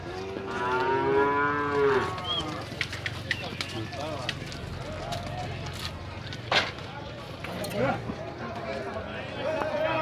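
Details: Nelore cattle being sorted at a cattle fair in Tabira, Pernambuco, Brazil: one long, harmonic lowing moo lasting about two seconds, followed by clattering knocks, scattered moos and background voices in the pen.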